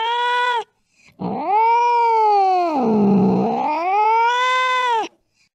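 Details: A short meow, then a drawn-out, wavering yowl lasting about four seconds that dips low in the middle and climbs again, from a cat chasing a mouse in the late night.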